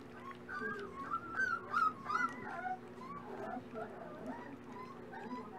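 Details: Red brindle Dachshund puppies at breakfast in the morning, giving squeaky, wavering whines that rise and fall in quick succession, several overlapping, with low room noise underneath.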